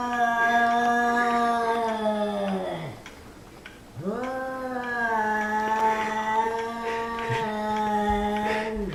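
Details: Angry house cat vocalizing at a kitten inside a room: two long, moaning yowls, each held for about three seconds with a steady, nasal, harmonic tone that sags downward at the end, separated by a brief pause.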